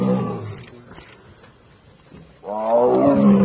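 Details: Tiger. Two powerful tiger roars rumble out, each deep and harsh with a rich, growling texture. A short lull with faint background noise falls between the first roar and the louder, sustained second one.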